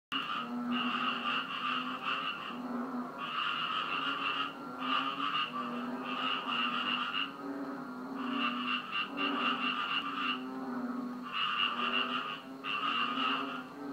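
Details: Frogs calling at Koh Chang after rain, 10 June 2013: repeated pulsed croaking bursts about a second long, spaced at irregular short gaps, with overlapping callers forming a steady chorus.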